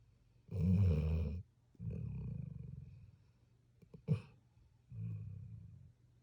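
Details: Puppy snoring in sleep, one loud rough rumble followed by softer drawn-out breaths and a brief sharp snort, with quiet spaces in between.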